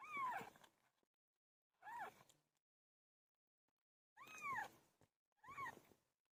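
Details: A cat named PILO during birth gives four short, rising-falling meows in two pairs, with a long silent gap between the pairs.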